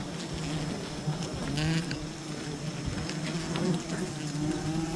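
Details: Wild bees buzz softly during honey gathering from a wild colony, a low wavering hum under faint clicks and a thin high whine.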